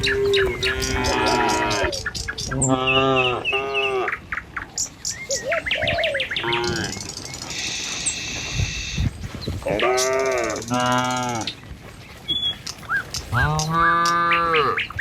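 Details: Tame cattle roaming a village road at morning, herded toward a field for food; a series of sustained, harmonic, slightly falling moos from several cows, separated by pauses filled with bird chirps and soft shuffling.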